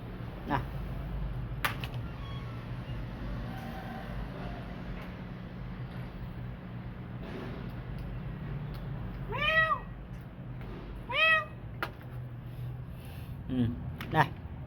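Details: Kitten, rescued from street life and recovering, utters two short arched meows about two seconds apart after a quiet stretch, with a few clicks and a steady low hum in the background.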